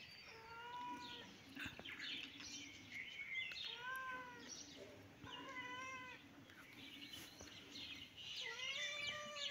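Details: Cat meowing repeatedly: about five clear, high, tonal meows across nine seconds, each arching up and then sliding down in pitch, some drawn out and wavering, with faint bird chirps in the background.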